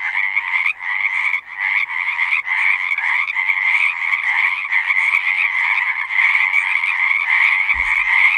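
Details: Frogs singing together at a pasture pond, a continuous massed trilling with rapid pulses and regular surges about every second; a short low thump near the end.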